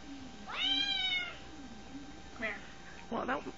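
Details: Domestic cat trying to get at a cat shown on a phone indoors: one clear, drawn-out meow lasting under a second that rises then falls, followed by short people's voices and laughter-like exclamations.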